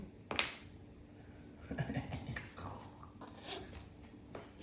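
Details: Indoors, a few scattered crunches and soft bites stand out against quiet room tone, with a faint voice and no animal calls.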